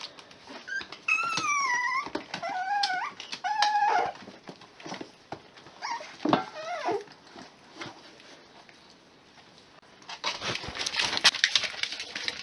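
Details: A litter of Miniature Pinscher puppies at six weeks old whining: long wavering high whimpers that bend up and down in the first four seconds, more short yelps around six seconds, then loud rustling and scratching at the end.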